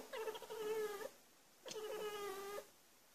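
An Abyssinian cat gives two drawn-out, steady, bark-like calls, excited by birds outside.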